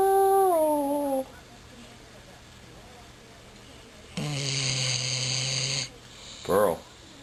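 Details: A pet dog howls. The clip opens with a held note that steps down and fades. After a silence comes a longer, flat, buzzy howl, then a brief yelp. Low indoor hum lies underneath.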